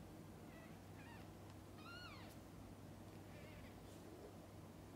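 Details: Mother cat with her kittens; a run of high, squeaky kitten mews, one long and sweeping downward, then a fainter wavering mew, amid strong background hiss and low rumble.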